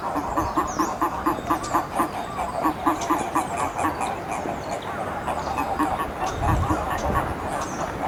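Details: Endangered eastern Japanese common toads calling at the Magatama pond, Hakodate Hachimangu, 2 May 2017. Steady trains of rapid, low, knocking pulses overlap from several animals, with faint bird chirps above.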